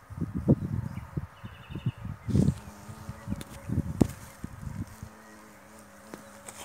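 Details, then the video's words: Japanese hornet entering a swarm-catching hive through its entrance hole while trying to build a nest there; a low humming buzz with harmonics sustains through the second half, after knocking thumps and rustling handling noises. "OĞUL YAKALAMA KOVANINI JAPON EŞEK ARISININ İSTİLA EDİP YUVA YAPMAYA ÇALIŞMASI"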